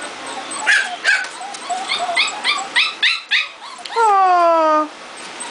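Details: Excited litter of puppies indoors after being brought in from thunder and lightning, crying: quick bursts of sharp yips, then one long, falling, clearly pitched whine.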